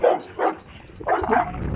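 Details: Dogs sound off while Lilit, a Dogo Argentino, mingles with seven rottweilers she had not met before: a quick run of loud, rough barks, two close together, then a brief pause and a further doubled bark.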